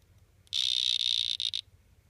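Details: Marañón poison frog, one of three males: a single high, buzzy trill held for about a second, steady in pitch, ending in two short stuttered pulses; otherwise quiet with faint low hum.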